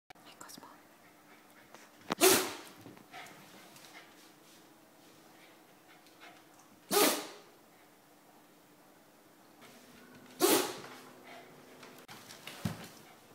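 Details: Japanese Spitz named Cosmo in a sneezing fit after his bath, three sharp explosive sneezes spaced roughly four seconds apart, with soft sniffing and quiet whispered voices between them over a low hum.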